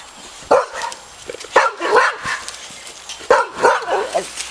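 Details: Young Boxer puppies, four and a half weeks old, during their first time in the park, uttering scattered shrill yelps and whiny barks separated by short pauses, with rustling outdoors.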